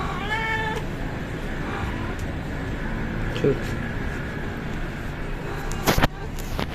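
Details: Stray mother cat among other strays at daily feeding gives one short, clear harmonic meow, then a man talks over steady background noise, with a sharp clatter near the end.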